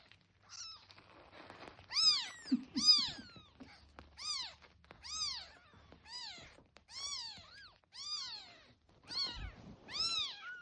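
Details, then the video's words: Rapid series of about ten high-pitched kitten meows, each a clear arched whine roughly a second apart, with a few soft rustles and a brief low thump between cries. "猫が寄ってくる音 赤ちゃん猫の鳴き声"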